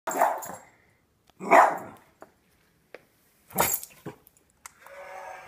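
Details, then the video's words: Pet dog barking at small zombie figures indoors: two loud barks near the start, a few soft clicks, another bark after a pause, then a low hum at the end. "My dog hates little people."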